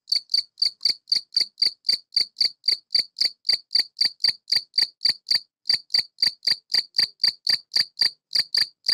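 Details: An adult male field cricket (Gryllus campestris), living in a tortoise greenhouse that amplifies its sound, sings a loud, high chirping song of short pulsed chirps about four a second, stridulating mainly with its wings to call females.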